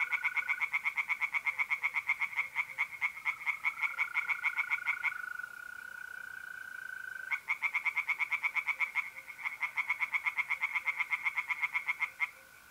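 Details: Tree frogs singing from a pond at night in mid-April, north-east Italy: rapid pulsed croaking bursts repeated in long trains, pausing near five seconds, with a steady pure trill of mole crickets running underneath.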